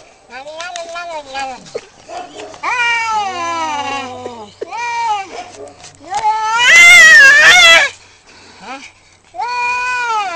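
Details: Two cats in a fight trade long, wavering yowls that rise and fall, overlapping, with a loud harsh burst near the seventh second before a final drawn-out howl.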